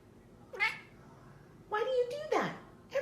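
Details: Domestic cat from a funny pet compilation, giving several drawn-out meows that rise and then fall, separated by pauses of about a second, with a person talking to it in between.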